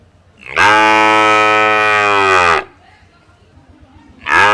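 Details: Cow at a village market giving one long, steady, rich harmonic moo lasting about two seconds, followed by a short pause and the start of another loud moo.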